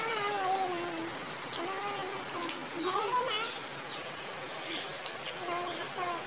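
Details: Several kittens mewing over one another: short, thin, tonal cries with wavering pitch, some sliding up then down, in a busy overlapping stream with a few sharp clicks and knocks in the background.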